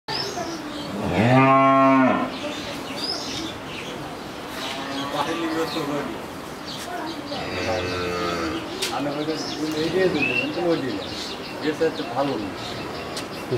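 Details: Eleven-month-old crossbred Friesian heifer calf, kept for sale in Pabna, Bangladesh, gives one loud harmonic moo lasting about a second, followed later by softer, lower moos amid steady background noise and faint voices.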